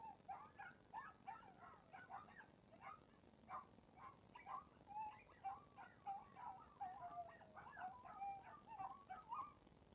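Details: Chihuahua voicing a run of short, choppy yelps and whines at a middling pitch, pulsing about twice a second, later sliding into a wavering, drawn-out whine; faint and otherwise quiet.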